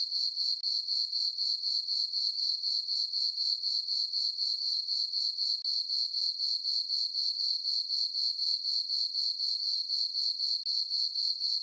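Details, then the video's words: Under dark skies and a full moon, crickets call in a summer farm meadow at night, giving a continuous high-pitched chirping at about four beats per second, some forty-seven regular pulses, otherwise quiet. "Cricket chirping sounds for sleeping"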